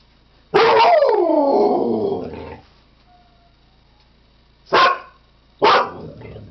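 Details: A Siberian Husky gives a falling, drawn-out wail lasting about two seconds, followed after a pause by two short sharp barks.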